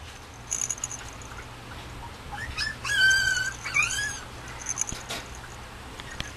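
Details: Male Mame Shiba puppy at a breeder's kennel, dated 6.20, giving a brief burst of high, squeaky whimpers around the middle, a few arched whining notes close together, over faint background hiss.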